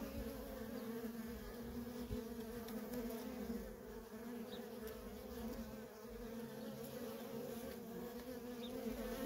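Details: Worker honey bees at a wild feral colony, many wings producing a constant low, slightly wavering hum, nearby fliers swelling briefly over the massed buzz.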